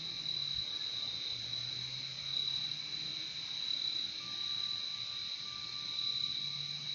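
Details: Chorus of crickets, a nature sound meant for calm and sleep, holding a constant shrill trill without pauses. A faint lower hum runs alongside, with a thin mid-pitched tone entering toward the end.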